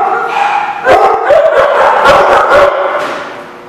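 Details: Dogs barking on 18 July 2016 make a loud, rough chorus of overlapping barks, roughly two a second. The barks blur together over a steady noisy background before tailing off.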